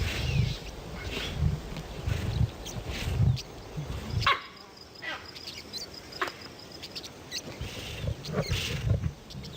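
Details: Wild lion in a documentary about lions built for combat: deep low grunts pulse about once a second for four seconds, then fade beneath scattered clicks, a thin high whine and rustling before one more grunt near the end.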